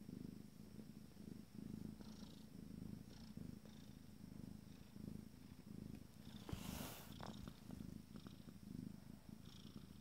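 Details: Abyssinian kittens aged 14 days, from a first litter, keep up a deep rumbling purr in rhythmic waves, interrupted once by a sharp rustle of movement around the seventh second.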